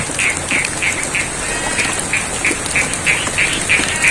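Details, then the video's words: Rain-soaked rice field in Pacitan, Indonesia, with frogs croaking in a quick, evenly spaced series of clipped notes, about three a second, standing out clearly above the patter of rain and a high continuous whine. "Suara Kodok & Air Hujan - ASMR Sound of Frogs & The Rains"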